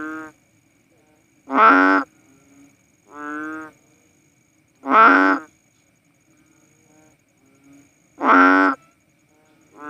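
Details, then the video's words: Philippine banded bullfrog, the cowsound frog, calling in a steady series of nasal, cow-like moos, loud notes alternating with softer ones, about eighteen per minute, with faint insect hum behind. "Sounds of a Philippine Banded Bullfrog | Cowsound frog"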